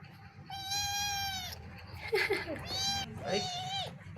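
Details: Kittens, two of them, giving long, high, steady meows, the first held over a second, then a shorter one and a wavering, falling meow, with a man speaking Vietnamese in between.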